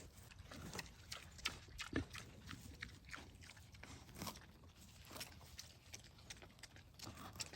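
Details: Two piglets give soft, short grunts amid steady crunching and smacking sounds as they eat treats.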